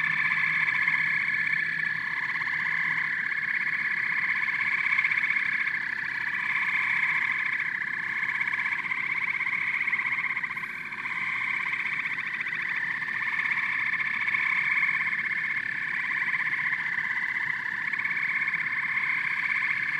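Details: Many frogs and toads croaking and chirping at once, a thick, throbbing wall of rapid pulsed trills that swells and dips slightly, with a short lull about halfway through.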